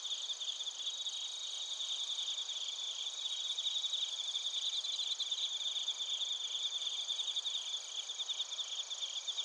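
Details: Crickets, including bell crickets, recorded in Narita, Chiba Prefecture, Japan, on a TASCAM Portacapture X8: a dense chorus of high, shimmering trills and pulsed chirps layered over one another, with steady insect hiss above.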